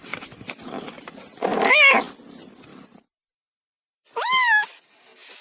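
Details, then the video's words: Kitten meowing: a rising-then-falling meow partly masked by rustling background noise, then a short clear meow after a pause. "Beautyful Cat cub sound effect"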